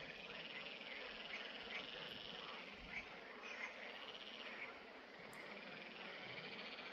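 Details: Green frogs (Pelophylax) at ponds in the Drava valley on 11 May 2024, a dense continuous chorus of overlapping rattling, pulsed croaks forming a steady hissy wall of sound with no clear gaps.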